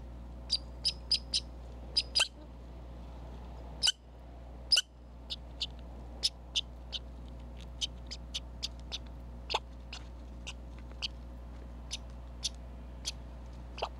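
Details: Red squirrel at a Minnesota feeder and critter cam: a busy run of more than twenty sharp, high chips in uneven bursts, a few louder broadband clicks among them, with faint low rumble of vehicles about a block away.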